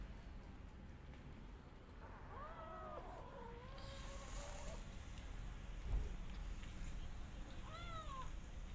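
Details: Rescue cat and kittens while eating together, giving a long wavering meow that bends up and down for about two seconds, then a short rising-falling meow near the end, over steady low background hum.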